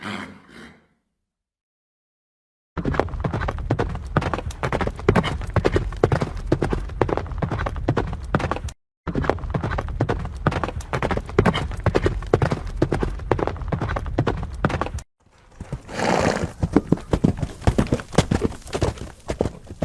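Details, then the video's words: Galloping horse: rapid, thudding hoofbeats drum steadily across the recording in several stretches, with a short break and a noisier, rushing passage near the end. "Som de Cavalos Relinchando e Galopando"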